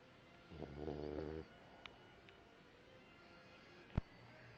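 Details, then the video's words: Sleeping puppies snoring: one low, rasping, pulsed snore lasts about a second, then near-quiet breathing with a few faint clicks and a sharp tap near the end. "My pups snoring"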